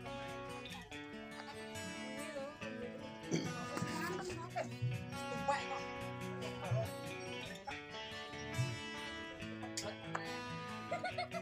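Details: Plucked guitar music with a voice speaking over it throughout, and no distinct animal calls.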